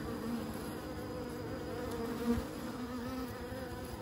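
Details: Steady droning buzz of bees, a low humming texture with faint tonal bands and one brief louder swell near the middle.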